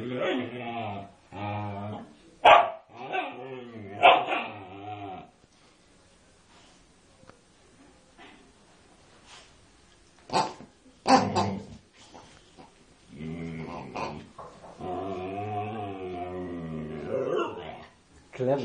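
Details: Female Siberian Husky, unusually vocal while attacking a pig: long wavering, moaning howl-like calls with shifting pitch in two extended bouts, broken by sharp yips and short barks in between.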